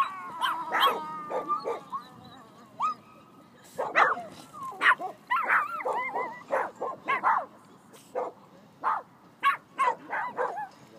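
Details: Tiny female Phalène barking while she runs about among much larger dogs, holding her own against them; rapid bursts of high yapping barks mixed with thin whining notes, and a person's voice telling her to be quiet.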